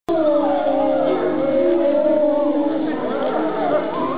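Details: Several European wolves at Tama Zoological Park, Japan, howl together, long smooth tones overlapping and gliding at slightly different pitches.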